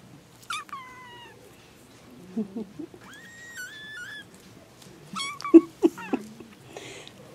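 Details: Baby kittens meowing indoors: several high, thin meows, some bending downward and others held level, arrive in short bursts with quiet gaps, while a soft low voice murmurs in the background.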